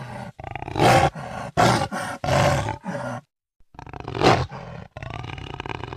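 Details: A jaguar recorded in 2013 roars in several short, loud, gravelly bursts, then falls silent for a moment before a final harsh roar and a fainter, steady growl.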